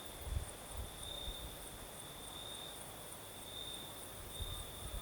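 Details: Crickets singing on a southern night in Crimea with a night breeze: a steady high trill held on one pitch throughout, with a fainter shimmering band above it, over low rumbling wind gusts.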